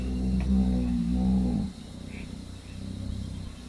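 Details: A hippo bull in Southern Africa gives a deep, rumbling bellow with pulsing low grunts for about a second and a half, then fades into a low background rumble.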